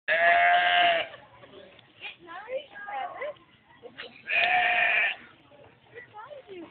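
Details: Sheep chasing a boy gives two long, strained bleats, each lasting about a second and separated by a few seconds, while people talk and laugh between them.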